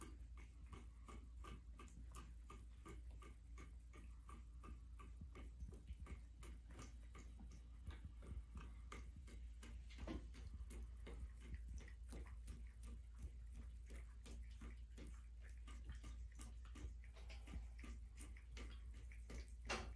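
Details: A black female American Shorthair cat laps water from a running bathtub faucet on January 21, 2023, in South Central Pennsylvania, with quick, soft, clicking strokes over a low, steady rumble.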